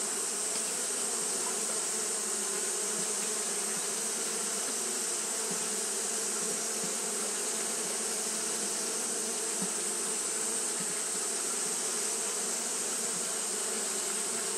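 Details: Japanese honey bees fanning without pause on a hot day; their massed wings give a level, humming drone with low tonal bands and a bright hissing wash, with occasional faint individual buzzes rising from the steady sound.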